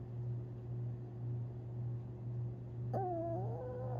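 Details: During sleep on April 17, 2021, Tinkerbell the Long Haired Chihuahua dreams and suddenly gives one drawn-out whimper that dips and wavers, after a quiet stretch of low hum.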